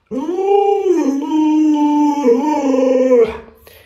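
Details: Drawn-out howl from Lolo, a pet Alaskan Malamute pranked by its owner in a mask. The voice swoops up, dips and rises again in wavering, whining bends, then fades into quiet.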